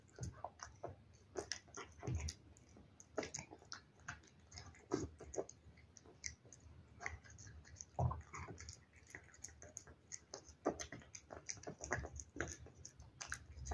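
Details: Wet food being eaten by a cat, with a steady run of dense moist chewing, crunching clicks and lip smacks, irregular but almost continuous, some heavier bites standing out.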